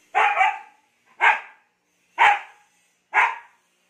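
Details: Siberian Husky Ice barking excitedly after a bath, in the Philippines: four sharp, broadband barks about one per second, the first doubled, in a quiet indoor setting.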